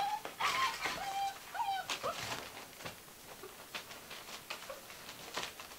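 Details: Gordon Setter puppies, six weeks old, playing and tearing up a living room. Thin whistled whimpers come in the first two seconds, followed by soft scuffling and tapping that fade into quiet room noise.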